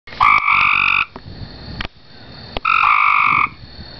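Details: Two gray treefrogs (Hyla versicolor) call from a backyard pool, giving two loud, musical advertisement trills, each under a second.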